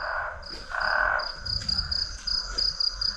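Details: On a hot, very humid night in Guinea-Bissau, a frog chorus gives high, rapidly pulsing trills repeating over a lower, steadier drone; the frogs fell silent when a door was opened.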